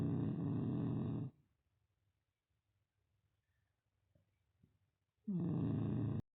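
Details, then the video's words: Sleeping Beagle puppy Yfke giving two long harsh snores, one at the start and one near the end, separated by about four seconds of quiet breathing. "Beagle puppy Yfke 🐶 Snoring her nose off -again-"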